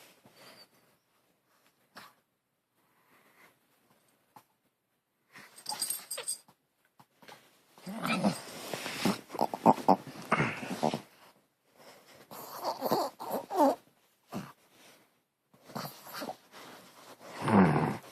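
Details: Pet dog making a weird, funny noise while playing indoors: bursts of harsh, breathy, snorting wheezes with some growl-like rasp, arriving in irregular clusters with short pauses between, and a person's voice now and then.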